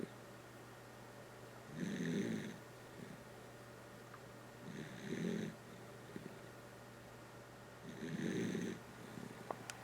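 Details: Snoring Dachshund Kotaro: three even, rasping snores spaced about three seconds apart, each a short grainy rush of breath with a faint high whistle, a low electrical hum and tiny clicks between.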